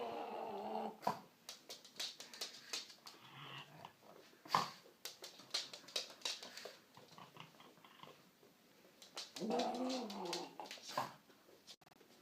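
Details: Female pug indoors making a weird noise to celebrate getting her bone after a walk; opens and closes with wavering, yodel-like whines, between them rapid snorting grunts and clicking chewing sounds.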